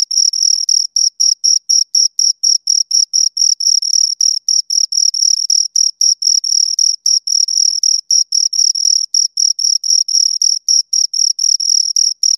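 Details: Steady chirping from two crickets, a shrill, ringing tone broken into short bursts roughly four per second, continuing without pause over twelve seconds against complete silence otherwise.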